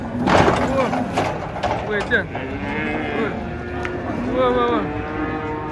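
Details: A cow jumps and falls while coming down off a truck. Several arching, nasal moos rise and fall, a loud one early and another near the end. A few sharp knocks and background voices are also heard.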